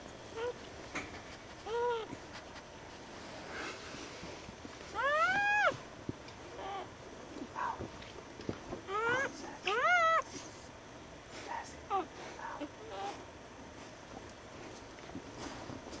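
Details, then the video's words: Newborn puppies just born to a dog on a winter night after a snowstorm: scattered thin, sweeping squeals and whines, some rising steeply, in short bursts over quiet background noise. "Newborn puppy"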